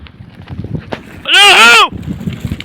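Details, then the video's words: Sheep bleating during a wolf attack: one loud, strained, arching cry of about half a second, rising then falling, rich in harmonics, set against low rustling and background noise. "KURT SALDİRSi KOYUN"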